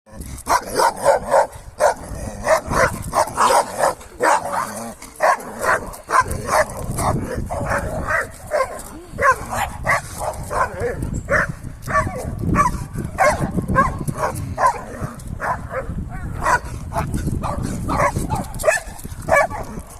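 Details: An excited male Sarplaninac shepherd puppy barks enthusiastically in quick bursts, sharp woofs tumbling out several to the second.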